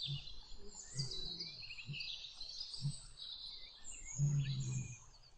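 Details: Lion with a lioness during mating: deep, short grunts repeat about once a second, ending in a longer, louder rumbling growl, while birds and insects chirp steadily high above.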